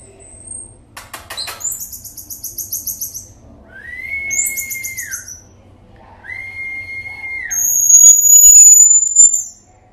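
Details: Baby pygmy marmoset, kept as a pet, being brushed: long flat high whistles held about a second each, alternating with buzzy high trills and a thin piercing whistle near the end, over faint low background hum.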